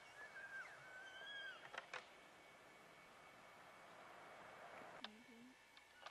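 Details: Rutting bull elk wrestling nearby give a high, whistled bugle that arcs gently and then falls away over about a second, with later short clicks, a lower voice, and a faint background hiss.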